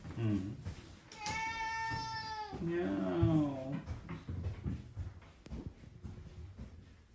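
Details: Pet cat indoors, one of three cats watching a bath being cleaned, giving a long drawn-out whining meow held level then sliding down, followed by a shorter wavering meow, with people talking and household noise around it.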